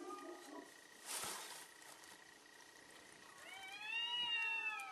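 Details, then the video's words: Cats fighting fiercely: a short noisy rush and a faint low murmur, then near the end a loud yowl that rises and arches over before fading. "fierce fight of cats"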